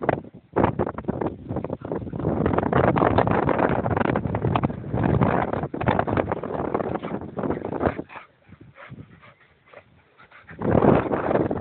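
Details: An Irish Terrier and another dog in wild play; sustained rough growls and grumbling noises fill most of the time, fading to near quiet around eight seconds before a final loud burst.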